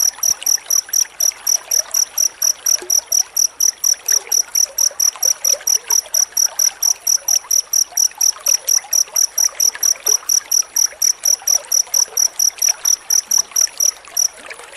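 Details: Cricket chirping used as a master recording to teach magpie-robins: loud, evenly spaced shrill pulses, roughly two per second, each a bright high double-banded tone, steady throughout with faint background hiss.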